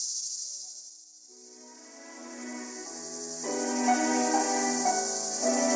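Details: In summer 2015, a cicada's steady, hissing high buzz runs throughout while orchestral music swells in beneath it.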